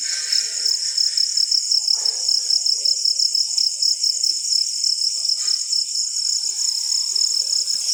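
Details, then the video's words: Following rainfall, several crickets give a high, fast pulsing chirp, two close layers of trilling that beat in regular bursts, with a few faint scattered lower sounds. "crickets making sound after rainfall"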